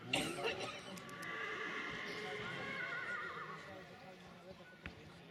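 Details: Silesian stallion at a 2019 stallion qualification in Książ: a long, wavering, tremulous whinny lasting about two and a half seconds, sliding slowly downward. People talk nearby, and a few sharp knocks or hoof clops sound at the start and end.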